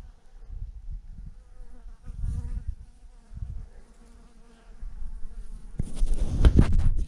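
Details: Honey bees by the thousands hanging in a clump on a branch give a faint wavering buzz under bursts of low rumbling noise, ending in a loud rush of handling sounds.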